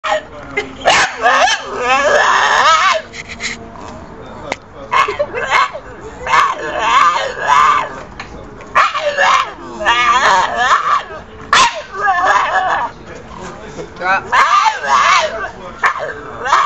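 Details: Staffordshire Bull Terrier making loud, drawn-out, wavering yowls with rich harmonics, each burst lasting one to three seconds and repeated about six times, separated by short quieter gaps.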